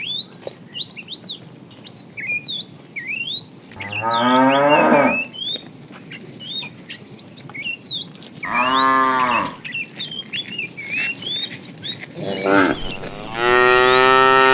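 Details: Tame cattle from a herd walking along a road looking for food: three drawn-out harmonic moos around 4, 9 and 13 seconds, the last longest, with constant chirping birdsong in the background.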